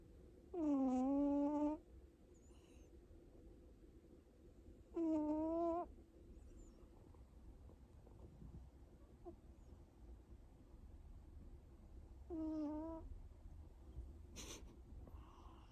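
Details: Pet cat snoring in sleep, giving loud squeaky whistled tones with a dipping pitch roughly every four seconds, each lasting about a second, over faint steady background hiss.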